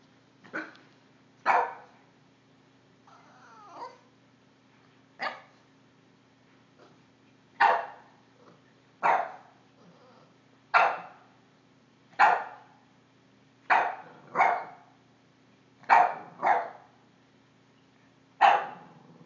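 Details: Five-month-old Boston Terrier puppy barking at a cord, recorded on an Android phone: sharp, high-pitched yappy barks, singly or in quick pairs, about a dozen spread over twenty seconds with short pauses between, some softer whines and a steady low electrical hum.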